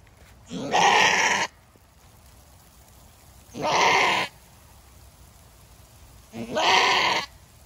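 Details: Female goat screaming while giving birth for the first time, a hard delivery of a single kid; three loud, harsh, broadband screams about a second long, spaced roughly three seconds apart, with quiet between.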